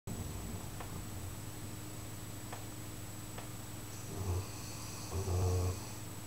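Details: George, a Chocolate Labrador, asleep in his basket at home after an exhausting Easter 2012 camping weekend at Graffham; two low, rumbling snore bursts come near the end over a steady indoor hum.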